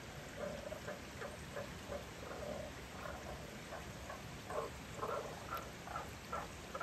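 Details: One of two Japanese common toads found at spawning in a valley stream in Nakahechi, Tanabe, Wakayama, in spring, giving short, low clucking croaks in irregular bursts over a steady background hiss.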